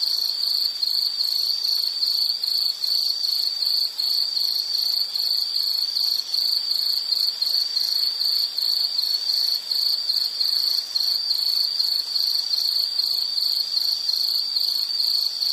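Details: A sustained shrill insect chirring, evenly pulsed and unchanging in pitch, with soft upper overtones and nothing else audible.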